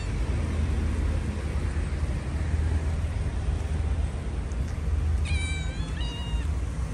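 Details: Stray cats hungry and being handed food, one giving two short rising-falling meows near the end, each under half a second, over a constant low engine-like rumble.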